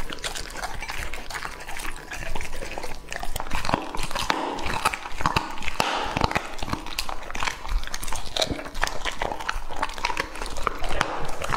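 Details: Close-up feeding of raw meat by Lucky, a two-and-a-half-year-old male English Labrador. Slurpy, wet chewing and irregular crunchy bites run continuously throughout the recording.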